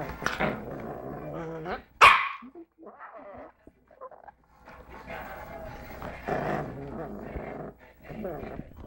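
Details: A 3-month-old female Lhasa Apso puppy, angry, growls and gives a sharp bark, with human voices alongside.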